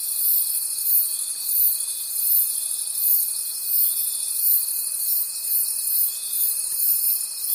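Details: Crickets in a forest at night produce a bright, high trilling wall of sound, throbbing rhythmically about three times a second beneath a faint steady pure tone.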